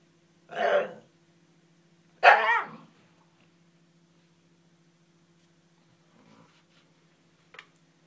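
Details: Koji the Shiba Inu vents frustration over his ball lodged behind a TV stand: two loud, rough, throaty barks in quick succession, then faint grumbles and a small click, with a constant low hum in the room.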